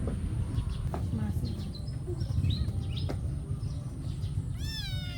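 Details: Several cats fighting over food, mixed faint meows over a low steady rumble, ending in a clearer rising-falling meow near the end.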